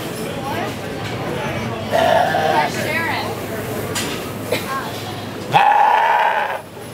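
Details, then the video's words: A goat, possibly with a cold, gives two wavering, nasal bleats amid background chatter and clatter. "Baaa! Goat makes sound"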